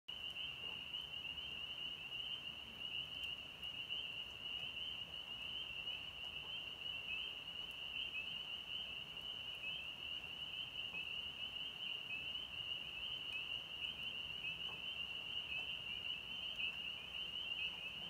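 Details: Spring peeper (Pseudacris crucifer) chorus in North Georgia on March 24, 2020: dense, high piping peeps blend into one shrill, unbroken ring.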